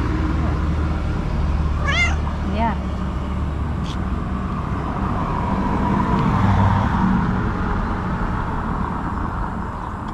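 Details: Domestic cat asking for food, waiting outdoors near a forest; two short rising-falling meows early on, over steady low background rumble with a woman talking to the cat.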